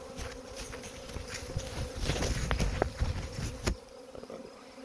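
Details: Swarm of honey bees during collection, a continuous hum under heavy low rumbling and knocks that peak mid-clip, then fade back to the plain drone.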